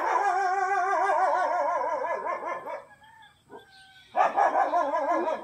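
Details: German Shepherd in a fight giving long, wavering, vibrato-like cries that rise and fall for about three seconds, a brief quiet gap with faint sounds, then a renewed burst of loud quivering cries.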